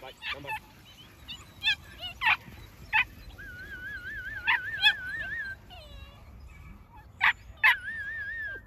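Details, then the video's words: Young New Zealand Huntaway puppies: scattered sharp yips between long, wavering whimpers that warble up and down at a steady pitch, over a faint low rumble of background noise. "NZ HUNTAWAY PUPPIES"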